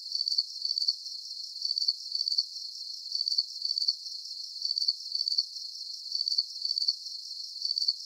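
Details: Crickets chirping as a calm nature lullaby, the shrill pulsed trills recurring in regular short groups about twice a second, bright and sharp, with a soft hiss underneath and nothing else heard.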